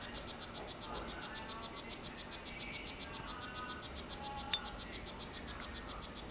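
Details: Courting male strawberry poison-dart frog, Solarte morph, kept in captivity with a female. Continuous regular high-pitched chirping pulses about four a second, with faint lower tones and one brief sharp click.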